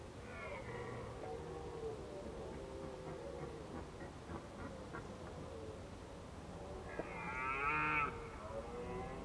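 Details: Autumn voice of a red deer, recorded at Krasny Bor on 1 October 2015 in Indian-summer weather: a short moaning call early on, then a louder, rich harmonic bellow that rises and falls near the end, over a quiet outdoor background.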